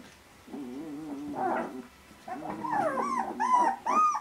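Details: Young Vizsla puppies at 18 days old, just beginning to interact with their mother and each other, make low rumbling grunts first, then rising, squealing whines that grow louder and higher in the final seconds.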